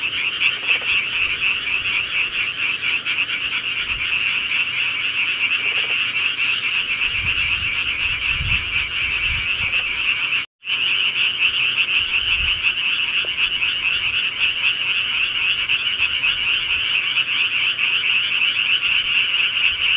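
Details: Night chorus of frogs in the countryside, an unbroken high rattling trill from many animals that cuts out briefly near the midpoint before resuming, with soft low thumps at intervals.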